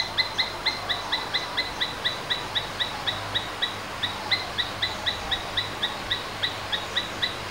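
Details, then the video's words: Domestic Asian palm squirrel calling with short, bright chips repeated about four times a second in a regular run over a hiss of background noise. "Domestic Squirrels Sounds various versions | Asian Palm Squirrels"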